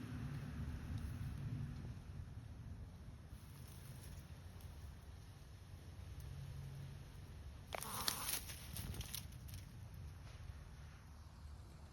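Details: Steady low outdoor rumble in a rural garden, with a short burst of rustling and scraping around the eighth second and no animal voice.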